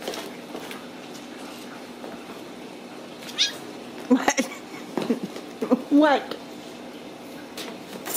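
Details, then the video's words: Ragdoll kittens raised in a home cattery in central Kansas without cages; a short cluster of high, bending meows midway, some rising then falling, over a quiet room hum, with a human voice heard nearby. "Steward Ragdoll Kittens"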